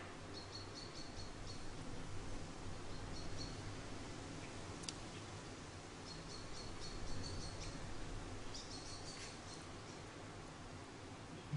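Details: Charlie, an orphaned baby grey squirrel about a week old, found fallen from his nest in a garden and hand-reared, gives short bursts of thin, high squeaks in quick clusters separated by pauses, over a low steady hum.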